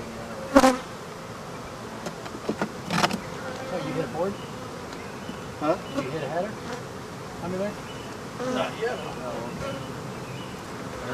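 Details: Disturbed African honey bees during hive removal, flying bees giving a wavering, rising and falling buzz, with a few loud knocks and thuds from boards being handled.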